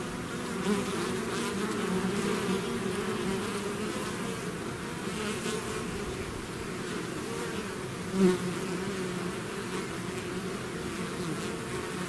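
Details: Many bees swarming from the hive produce a thick, even buzzing drone, one bee passing loudly near the microphone around eight seconds.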